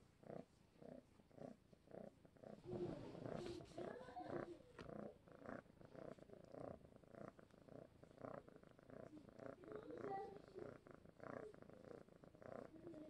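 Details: A very spoiled pet cat named Vageta, a fostered tom, purrs while being petted and carried like a baby. The purr is a steady low rumble in rhythmic pulses, about two per second, with faint speech mixed in partway through.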